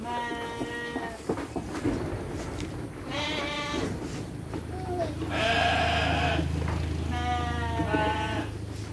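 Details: Livestock sheep receiving dry feed with children present, a run of repeated vibrating bleats from more than one animal, a steady low hum in the second half, and voices in the background.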